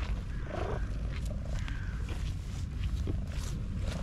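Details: Content black domestic cat purring excessively: a steady low rumbling throb runs through the whole stretch, with a few faint higher sounds in the background.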